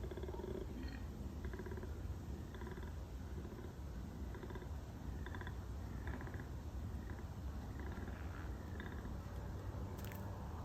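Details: A wild koala, spotted during a bush walk, gives a deep, rasping, snore-like call in rhythmic pulses.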